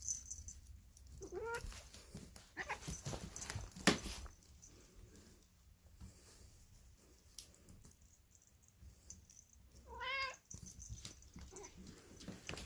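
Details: Poly, a female polydactyl cat, making weird noises likened to Marge Simpson: two drawn-out, strained meows with a rising-then-falling bend, one early and one near the end, separated by quiet rustling and scattered knocks.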